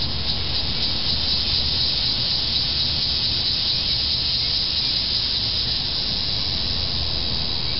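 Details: An annual cicada gives a steady, high, hissing drone that holds unbroken at an even loudness: the first annual cicada call heard that summer, on July 18, 2008.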